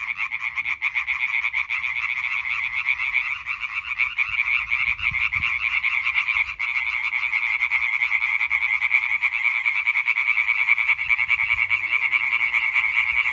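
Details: Chorus of European treefrogs, 20 May 2023: many males croaking at once, fast pulsed rattles blending into an unbroken buzzing wall of sound, with a brief dip near the middle and faint low rumble beneath.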